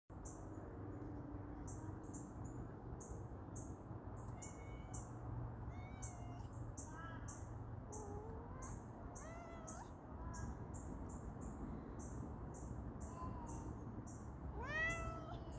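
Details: A domestic cat gives big, drawn-out meows that swell and drop away while walking along the top of a backyard picket fence on her morning perimeter check, over steady high chirping and a low outdoor rumble.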